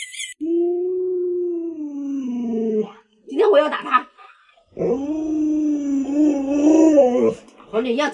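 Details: Alaskan Malamute Luoluo, a family pet, lets out a long, smoothly falling howl, then a burst of a person talking, followed by another sustained, slightly wavering howl and a short final cry.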